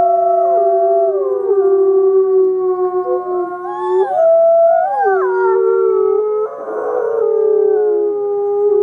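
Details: Several wolves howling together, long smooth overlapping tones that hold level, slide up and down and cross one another, with a rougher burst near the end of the chorus.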